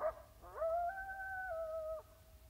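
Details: A coyote howls in the distance over California grassland: one long, smooth howl that swoops up, holds a steady mid-pitched tone for about a second and a half, then breaks off, over a quiet background.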